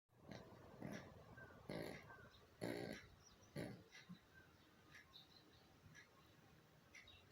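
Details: Pomeranian-Chihuahua mix dog asleep with eyes half open, snoring softly; four low, rough snorts about a second apart, then weaker breaths fading into quiet room hiss, recorded at reduced volume.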